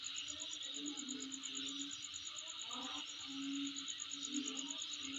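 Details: Shrill insect sound, an unbroken high pulsing trill layered on a strong hissing band, with a faint low drone and occasional short calls below.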